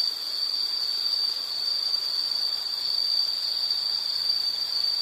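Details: One sustained, piercing insect trill rings at a fixed high pitch for the whole stretch, nearly even in loudness apart from a brief softening early on.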